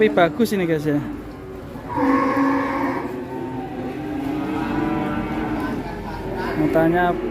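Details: Agitated sacrificial cow (sapi qurban) moos in two sustained, low bellows, separated by a short gap, amid voices and mechanical background rumble.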